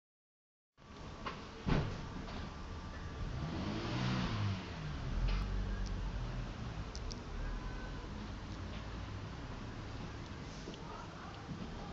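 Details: Outdoor garden recording of a motor vehicle engine rumbling and passing, with a brief knock near the start and steady background noise, and no animal sound heard.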